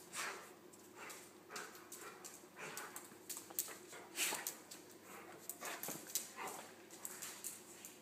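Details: Two dogs at play, Nelson the golden retriever and his Pomeranian poodle friend Buster, who gets underneath him and nips his ears; rapid, rough snuffling bursts and short yips come close together, with soft scuffling between them.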